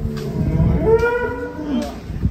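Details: Huge prize-winning cow from an Indonesian cattle show gives one drawn-out moo that swells and bends upward in pitch, with a man's voice and light background noise.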